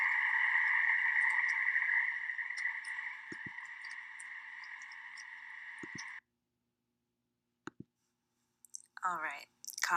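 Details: Pacific chorus frogs call together at night in a backyard along Willow Creek in Folsom, California, a dense, steady chorus of rapid, rhythmic croaks. This calling favours night and moist conditions.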